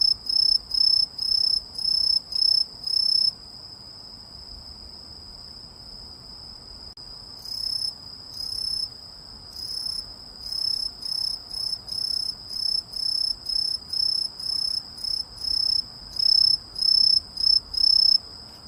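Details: Cricket or grasshopper producing loud, shrill, high chirping pulses in quick regular bursts. It goes silent for about four seconds, then resumes with a steady series of pulses to the end.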